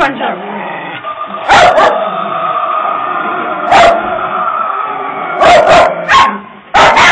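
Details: Frightened puppies yap at a Halloween prop, a handful of sharp barks in short pairs spread across seven seconds, set against a continuous humming drone and speech.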